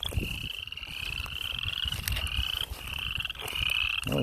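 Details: Frogs on a farm by a stream, unseen, giving long rising pulsed calls that overlap almost continuously, with crunching footsteps underneath.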